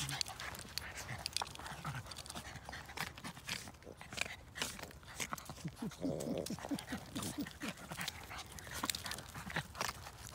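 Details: Luffy, a male Yorkipoo puppy (Yorkshire terrier and toy poodle mix) born June 2020, plays with his friend Girly at an off-leash park in Langley, BC, Canada; rapid breathy panting bursts with scuffling paws and brief human voices.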